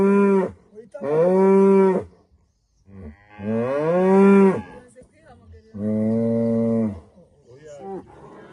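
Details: At sunrise in rural Rwanda, a female cow calls to greet the morning. Three moos vary in shape, the middle one sliding upward then dropping, with short softer sounds between them.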